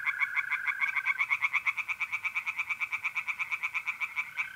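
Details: Tree frogs in a pond on a mid-April night in north-east Italy give a fast, evenly pulsed series of high, clicking notes, several each second, over a smooth, continuous lower trill, likely the trilling mole crickets.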